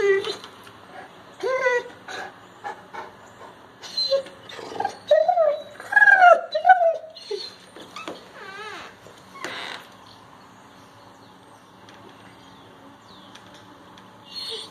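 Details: Great Pyrenees indoors objecting to its owner on crutches after a hip muscle injury: wavering, moaning whines and low grumbling vocal bursts in uneven runs, mixed with a woman's talking.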